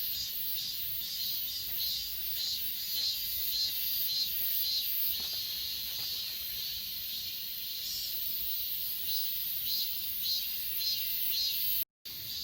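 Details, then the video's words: Night-sounding insect chorus from Achasan, captured with an S20 Ultra: layered high trills and rhythmic chirps in steady succession, a continuous shrill hiss behind them, ending with a brief cut to silence. "아차산 풀벌레소리"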